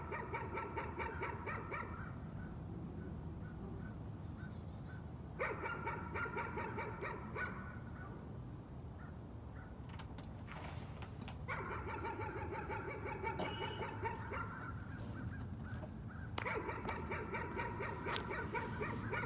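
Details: Nuisance barking from a dog, delivered in four separate volleys of quick, sharp barks, each lasting one to three seconds, with brief pauses between and a constant low rumble underneath.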